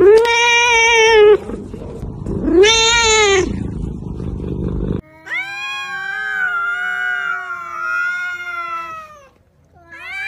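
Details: Cats and kittens meowing in a compilation: two loud arched meows in the first few seconds, then a long, steady, drawn-out wail with rich harmonics that fades before a short final call.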